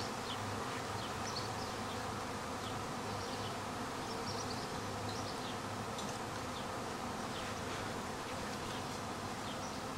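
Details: Swarming honey bees, airborne again a week after their first swarm and later settling into a tight cluster back in a tree: a thick, even hum of countless wings, loud and constant throughout, with scattered faint high chirps.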